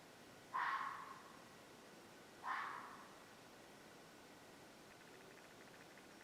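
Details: At dusk on a farm, two harsh, raspy screeches, each dropping off quickly. The farm hears this sound about once a month, close to the planned house site at bedtime, and the owner suspects a cougar (mountain lion).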